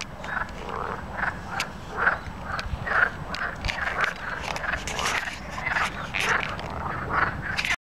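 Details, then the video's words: Several natterjack toads calling at Plaiaundi ecological park: overlapping rasping bursts repeat quickly throughout, forming a dense, continuous chorus with steady low background rumble. "SAPOS CORREDORES CANTANDO"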